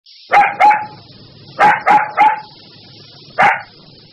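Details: Puppy barking: six short, sharp yaps in uneven bursts of two and three, then a single bark after a pause, over a steady high electrical hum.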